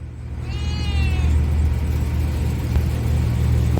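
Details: Cat named Myeolchi, tied on a leash, gives a single drawn-out meow lasting under a second that slides gently downward with rich overtones, set against a constant low engine-like rumble that keeps going after the call ends.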